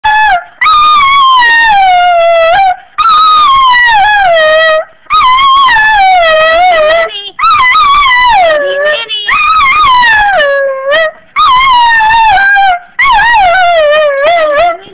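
A Cocker Spaniel howls in long, tuneful wails that slide downward, repeated with brief pauses.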